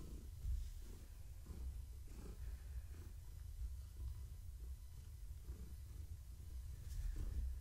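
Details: Pregnant long-haired tabby cat purring while being petted and scratched in the evening; soft, low rumbling purr with faint rhythmic pulses roughly every half to three-quarters of a second, quiet throughout.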